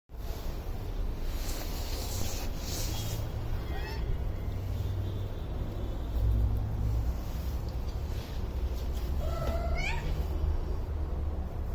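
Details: Domestic cat asking for food, giving two short, rising, tonal meows near four and ten seconds into the clip, the second louder and clearer, over a steady low rumble that fills the background throughout.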